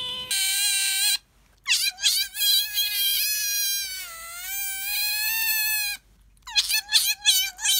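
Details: One of the pet otters Bingo and Sakura squealing: a high steady whine, then a long wavering cry that dips and climbs back, ending in a quick series of choppy, stuttering squeaks.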